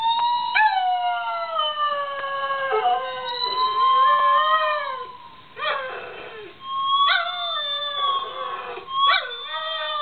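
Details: Domestic dog roo-ing, agitated by notes played on a guitar; sustained howls bending up and down in pitch, broken by short sharp yips and breaths between bursts.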